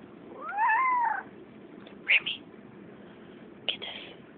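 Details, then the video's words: Squeaky meow from a female pet cat: one clear harmonic call lasting under a second that rises and then falls. Short sharp knocks follow in a quiet room. "squeaky kitty"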